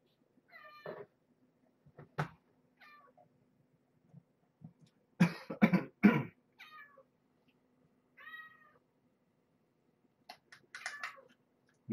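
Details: Kittens of Marge, a once-stray mother cat nursing her litter, indoors at feeding and weigh-in time: short, high, harmonic mews scattered every couple of seconds, separated by dull thumps and handling noise.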